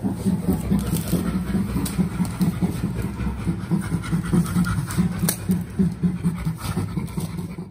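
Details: Chimpanzee nearing full recovery from a rattlesnake bite, laughing with a friend: steady run of low, breathy pants, roughly two or three a second, rhythmic and unbroken throughout, with scattered soft clicks and rustling.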